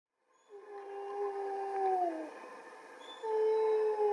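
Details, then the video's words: Captive wolves howling in chorus, one male protesting as his mate is taken for a walk on 20/09/2020; long steady tonal howls near 400–800, overlapping voices, a dip around two seconds then a new higher howl joins. "calls wolves to chorus"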